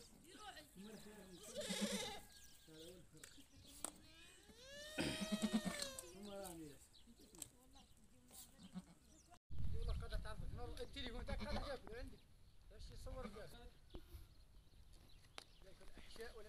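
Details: A nanny goat giving birth as other goats come close to her: two rich, quavering bleats, the second one longer, with people's voices and handling noise continuing throughout.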